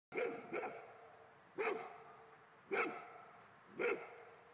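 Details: Golden Retriever barking at a ghost, giving short harmonic barks: a quick double bark, then single barks about once a second, in a quiet room.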